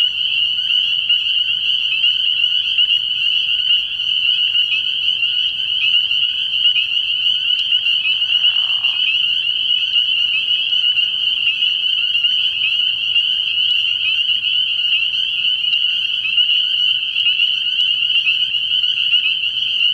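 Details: Many spring peepers at a pond after dark early in the year, their high peeping blending into a constant bright, ringing wall of sound for the full stretch, one brief lower grating note interrupting.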